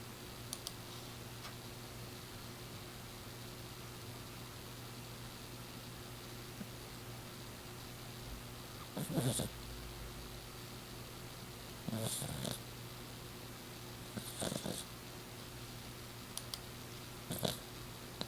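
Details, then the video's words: Six-year-old female short-haired exotic Persian cat snoring loudly while asleep indoors, described as sounding like a person; soft breathy bursts of noise recur every two to three seconds in the second half over a steady low hum. "The snoring cat"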